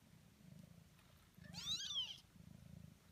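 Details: Kittens eighteen days old; a single arched high mew lasting under a second, rising then falling, over a soft low purring rumble.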